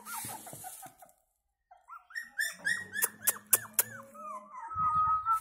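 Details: Pomeranian puppy producing high whimpers, a short pause, then a run of quick bent squeaks, ending in a long thin drawn-out whine, with a low buzzing hum underneath.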